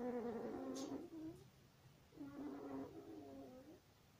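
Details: One-week-old longhaired German Shepherd puppy, born 26 September 2020, making two drawn-out whining cries, each about one and a half seconds long, with a falling then wavering pitch, separated by a brief quiet pause.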